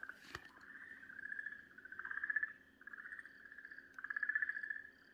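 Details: An Okinawa green tree frog, seized by a garasuhibaa snake on 4 March 2023 where frogs had gathered, gives long, wavering, nasal distress screams that echo.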